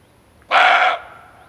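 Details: Male barking deer, a call offered as a hunting lure: one short, loud, hoarse bark lasting under half a second, rich in stacked harmonic bands, then a faint fading tail over quiet background.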